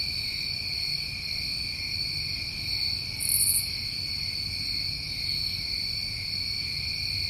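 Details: New England crickets on a summer night, several callers together, a continuous high-pitched ringing trill holding steady throughout, broken once midway by a short sharp buzzy burst above the chorus, faint low background hum.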